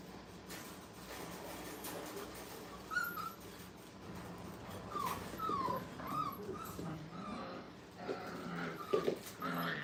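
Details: Five-week-old puppies playing and having fun at a training kennel, giving short, thin whining yips that rise and fall, scattered in small bursts around the third, fifth to sixth and ninth seconds over a steady rumbling background noise.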